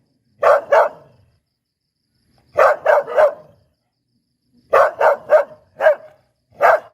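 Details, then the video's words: Bright, clipped barks from a Poodle, grouped in quick bursts: a pair, a triplet, then four in a row, each burst separated by about two seconds of silence, ending with two single barks. "เสียงหมาเห่า หมาพุดเดิ้ลแท้1000%"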